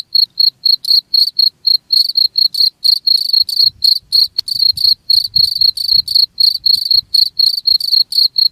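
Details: Rapid cricket chirping for scaring off rats, quick high pulses about four per second, two chirpers overlapping into a busier pattern, faint low background noise.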